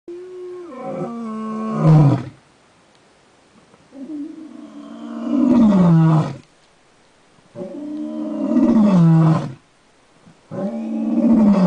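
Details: Wounded male lion on the Jackalberry Game Reserve, Hoedspruit, South Africa, injured after a run-in with a water buffalo, recorded May 17, 2011: four long, deep, harmonic roars, each about two seconds, dropping in pitch, separated by quiet pauses.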